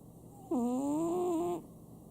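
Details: A household Chihuahua named Sam snores with a single whistled, tonal breath lasting about one second. The pitch dips, then rises gently, with clear harmonics above it, set against a quiet room hum.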